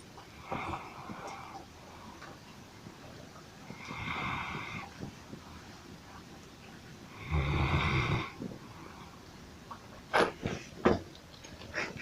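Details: A sleeping dog snores, said to sound just like a human: softer nasal snores early, then one deep, loud rumbling snore near the eight-second mark, followed by several sharp clicking knocks.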